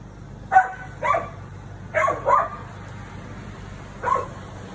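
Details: Female Siberian Husky barking while confronting the neighbour's cat; short barks, single and in pairs, spaced irregularly about a second apart, over a steady low hum.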